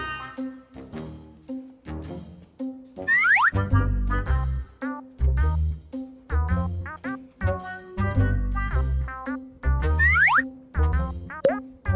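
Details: Bouncy comic music with brass, bass and repeated boing sound effects sweeping up and down, without any animal voice.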